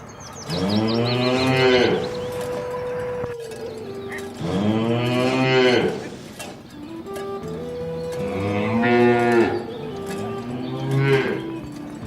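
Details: Rural cattle herd moving to the pen along a rice field ditch; four loud, harmonically rich moos spaced a few seconds apart, each arching up then dropping, with quieter sustained tones in between.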